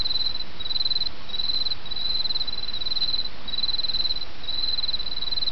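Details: Autumn insects singing beside a babbling brook: high, thin trilled bursts, each about half a second long, follow one another with short gaps over a steady rushing of flowing water.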